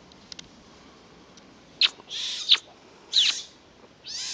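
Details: Young pine martens exploring the wider world at Kälberberg on 8 May 2012; a few sharp high squeaks and short hissy bursts break a quiet background.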